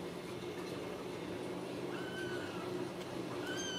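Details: Ragdoll kittens raised loose in a home cattery in central Kansas, without cages: two faint, thin, high mews, each gently falling, about a second and a half apart, over a steady low hum.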